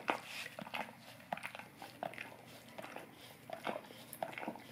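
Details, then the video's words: Close, quiet licking by a Golden Retriever on an Orapup tongue cleaning brush in a small room: separate wet tongue smacks every half second or so, with short pauses between bursts. "Golden Retriever Licking Orapup Tongue Cleaning Brush"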